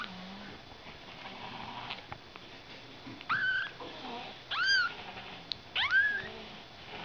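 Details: Ragdoll kittens born on 31 March, high thin meows rising and falling, three calls spaced a little over a second apart, with faint indoor rustling between them.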